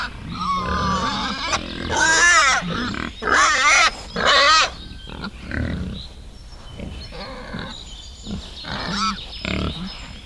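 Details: Wild boar with piglets in a forest: loud bursts of shrill, warbling squeals around two, three and five seconds, then quieter grunts and a final squeal near nine seconds.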